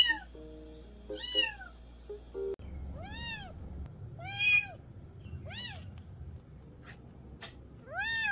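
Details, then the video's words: Cat calls meant to scare away rural mice: a brief burst of music-like tones opens, then roughly five clear, arching meows, each rising and falling, spaced about a second apart over a low steady hum. "고양이 울음소리 ASMR 시골쥐 퇴치용 효과"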